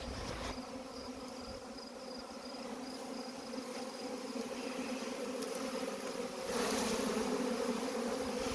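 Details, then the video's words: Swarm of honey bees being collected, giving a steady, dense hum with layered droning tones, growing slightly louder and fuller near the end. "collecting a swarm of honey bees"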